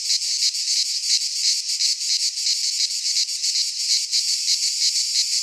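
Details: Greek pine forest cicadas in midsummer, their piercing buzz swelling and fading in fast regular pulses about three per second.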